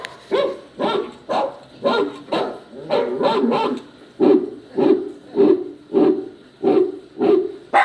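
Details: Crying sound of a poodle puppy while a poodle listens: rapid, evenly spaced whimpering yelps, about two per second, turning steadier and more tonal toward the end.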